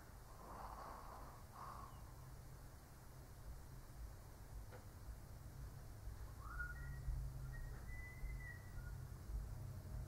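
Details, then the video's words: An old Shih Tzu snores while sleeping: two soft, breathy rasping snores early on, then thin whistled nasal tones that rise and hold near the end, over a constant low hum. "Snoring Shih Tzu (cute/old doggo sleeping)"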